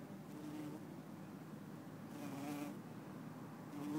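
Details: A bumblebee, Bombus hortorum or Bombus terrestris, in Lisbon on 4 December 2011, gives a low, steady buzz that wavers slightly in loudness over faint background hiss.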